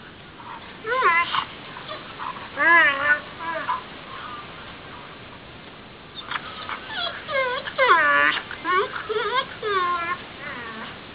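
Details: Pet dog singing along to the Jeopardy! theme song: bursts of wavering, yodel-like howls with bending pitch, in two phrases separated by a quiet gap of about two seconds, each made of several short rising and falling notes.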